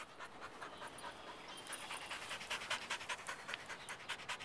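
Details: Tired rottweiler-shepherd cross dog panting in the yard after a training session on a warm day, fast regular breathy huffs roughly two and a half per second, growing louder midway.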